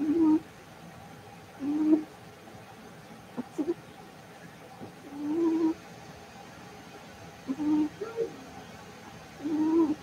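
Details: Cavalier King Charles Spaniel puppies raised indoors, playing in the house: short, low, tonal hoot-like whines come in bursts roughly every one to two seconds, with a few brief clicks between them over steady room hum.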